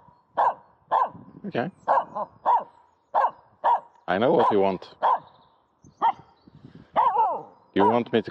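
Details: Short, punchy barks come in quick irregular bursts from Aamu, a female dog playing with a stick in an empty horse pen, with frequent overlapping human speech addressing her.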